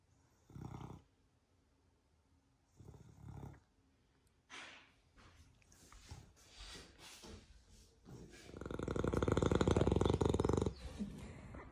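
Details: Rocket, a pet Beagle in Australia, snoring very loudly while asleep: short rough low snores about two seconds apart, then a long, loud, rattling snore lasting several seconds near the end.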